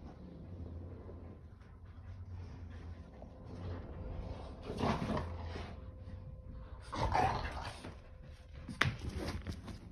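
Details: Two pet dogs, a Keeshond named Kumo and a Boston Terrier named Sully, tussle over a tug toy. A low, steady rumbling growl runs through the opening seconds, then gives way to noisy scuffling bursts and sharp knocks.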